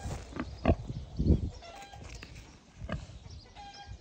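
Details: Two young, affectionate wild boars kept in human care, one recovering from a stomach upset. Short low grunts come in a few bursts, with quieter snuffling between them and faint bird chirps in the background.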